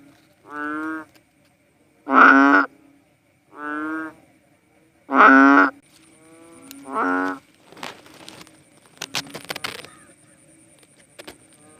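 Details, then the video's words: Philippine banded bullfrog, or cowsound frog, producing five nasal mooing calls alternating soft and loud, then stopping while clicks, rustling and handling noises take over. "Sounds of a Philippine Banded Bullfrog | Cowsound frog"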